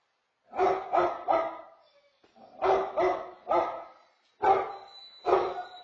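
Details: Basset Hound waking its owner like an alarm clock; three bursts of deep, throaty barks, each burst of two or three barks about a third of a second apart, with short quiet gaps between bursts.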